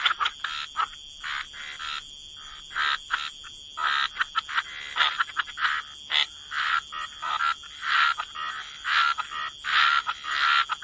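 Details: Several frogs croaking by the water, bursts of rasping croaks in uneven clusters with short quiet gaps between, some notes bright and tonal, a thin steady high hum running throughout.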